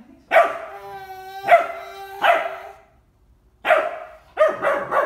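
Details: Ten-week-old Bernese Mountain Dog puppy checking out a ten-month-old baby at their first meeting; sharp, high yelping barks in two bursts with a gap between, one drawn into a ringing tone, with music and laughter around.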